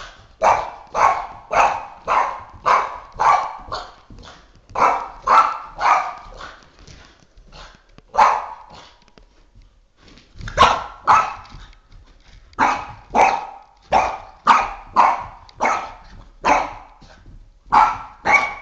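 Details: Oscar, a three-and-a-half-year-old Boston Terrier, barks at a flashlight he is attacking: rapid bursts of sharp barks, nearly two a second, with a brief lull midway before the volley resumes; a person's voice is heard faintly.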